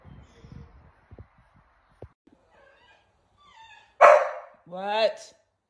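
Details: Dog in morning angst giving a loud, sharp yelp followed by a rising, wavering whine, after quiet human speech and soft rustling.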